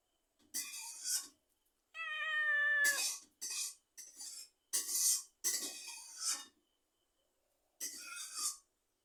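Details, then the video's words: Domestic cat meowing: a long, clear, steady harmonic meow in the middle, surrounded by several short, breathy, noisy meow bursts with silent gaps between them, all indoors with no other clear sounds. "Meow meow"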